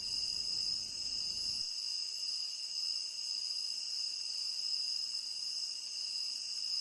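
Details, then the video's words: Crickets chirping in a tropical rain forest, a steady high shimmering chorus of several overlapping bands without pauses, with faint low rumble in the first second and a half that then cuts out. "Endless Cricket Chirping"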